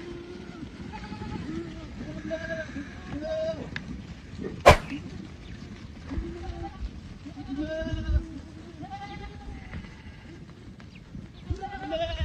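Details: Several Boer goats on a Boer goat farm bleat in turn, wavering nasal calls repeating through the stretch over a steady low rumble of livestock movement, with a sharp clack near the middle.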